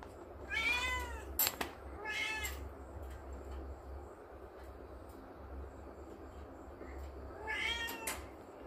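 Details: Little kitten at play in the morning, climbing, lets out three short bright meows, two close together early and a third near the end, with clicks and a steady low room hum between.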